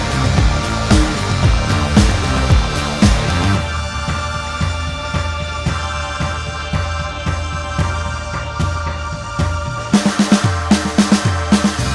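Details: Upbeat electronic music with a steady pulsing beat and layered synth tones throughout; no animal sounds.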